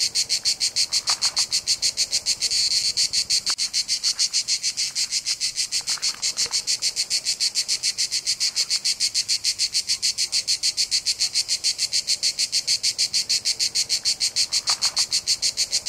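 Cicadas sing a steady, high, rasping buzz pulsing several times each second without a break.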